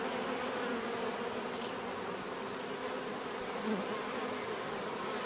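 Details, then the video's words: Steady bee buzzing, a low layered drone of many insects with a faint regular high ticking and one brief louder buzz passing near the end. "bees therapy relaxing natural buzzing sound"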